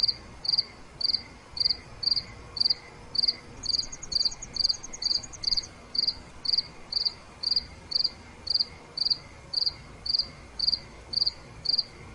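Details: Crickets chirping at night: loud high pulses recur about twice a second, a second insect adds a rapid fine ticking trill for a few seconds early on, over a soft continuous low drone.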